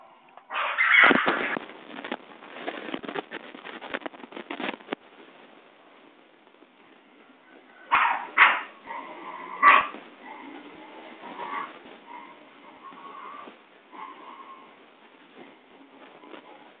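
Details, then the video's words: Basenji puppies in a kennel in Saraburi, Thailand, playing, play-fighting and running to their mother, recorded 6 February 2011: bursts of scuffling noise and short yelping cries early on, then a pause, then more yips and faint whines. "Basenji Puppies Thailand . / Running fight fight !"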